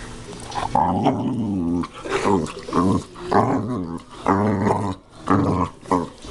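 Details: Lily, a pet dog described as crazy, growls in rough, low, rumbling bouts of about one second each, separated by short pauses and repeated five or six times over steady background noise.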